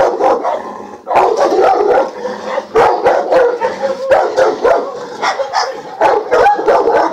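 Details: Presa Canario dog at Faro de Maspalomas barking in rapid, harsh bursts, several per second, overlapping into a continuous, excited volley with brief gaps.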